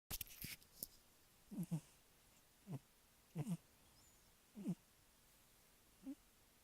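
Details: Cat snoring while asleep: soft, low, rasping breaths, some doubled, recurring about once a second or so, with a few clicking noises at the start and a quiet room background.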